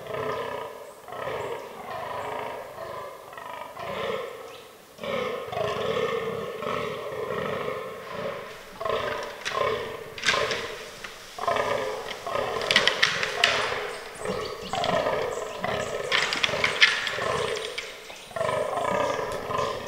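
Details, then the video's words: Fallow bucks in the autumn forest rut, a herd with albino and melanistic animals, with fight scenes. Repeated rasping groans run in pulsed series, broken midway by sharp cracking and clattering knocks. "Fallow Deer Rut 2022"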